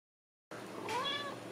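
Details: Ragdoll kittens raised in a home cattery in central Kansas: one short, high kitten meow with a bright, slightly arched tone, coming after a moment of silence over a low room hum.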